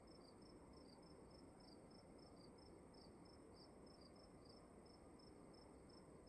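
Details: Crickets calling in a dark room at night: short, high chirps repeated two or three times a second, with two callers alternating at slightly different pitches over a steady, low, broadband hiss.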